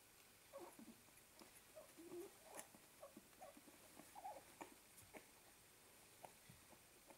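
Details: Staffordshire bull terrier puppies, fourteen days old, letting out soft, brief mid-pitched squeaks and whimpers at irregular moments, mixed with faint rustling and small tapping sounds.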